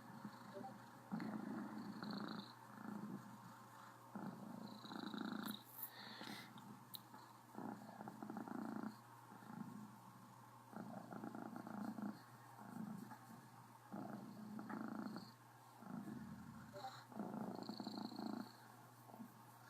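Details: Contented female Cornish Rex, Criquette, purrs loudly with mild hiccups, rumbling breaths cycling roughly every two to three seconds, interrupted now and then by short catches and faint higher squeaky notes.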